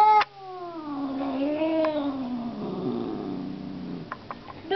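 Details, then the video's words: Talkative pet cat crying indoors: one long wavering meow that slides slowly downward and stretches over about four seconds, with a brief voice at the start and soft clicks near the end. "Crying cat"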